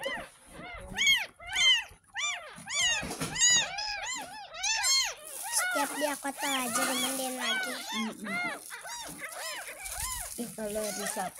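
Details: Ten-day-old rescued kitten mewing repeatedly while being bathed for the first time: a quick series of short, high, arched cries, with running water, speech and soft background music.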